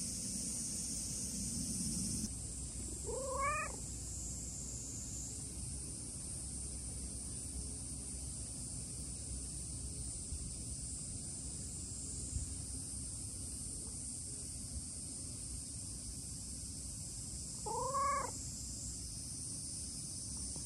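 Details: Chatty tabby-and-white stray cat giving a lively greeting in hot weather; two short harmonic meows spaced about fourteen seconds apart, set against constant high-pitched insect buzz and low rumbling background noise.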